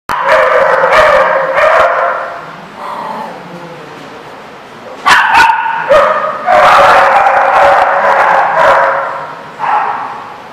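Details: Dogs at a kennel recorded on 3 March 2014, with loud, dense barking and yapping from several dogs overlapping almost continuously, briefly easing in the middle before erupting again.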